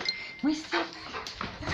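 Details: Black Labrador Retriever, cheerful and playful after a good bath: short high whines and yelps, two clear rising squeaks near the start, mixed with a woman speaking Spanish nearby.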